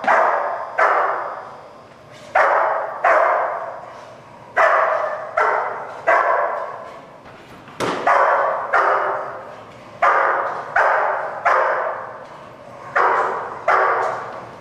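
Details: German Shepherd Dog named Malachai during Schutzhund protection training, February 28th 2010, barking in loud, harsh bursts, often in pairs, roughly every second or two, each bark broadband and dropping away quickly, with little else heard between barks.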